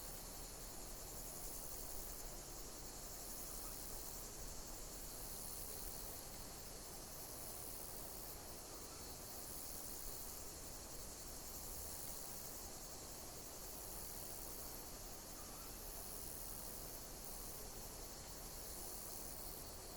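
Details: Insect. A dense chorus of insects keeps up a high, continuous chirping with faint pulsing throughout. Beneath it runs a steady low rumble and hiss, like distant traffic or wind.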